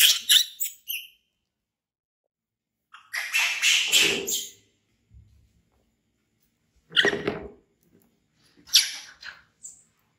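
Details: Baby monkey Bean, an orphaned infant taken in by villagers, screaming loudly in fear of a crocodile and running to hug a chair. Shrill, harsh, high-pitched screams come in several separate bursts, with short silent gaps between them.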